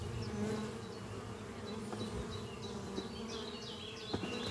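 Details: Honey bees flying at a horizontal hive under trees on a spring morning, workers bringing in pollen: a steady low droning hum of many wings, with bird chirps and short whistled notes repeating overhead.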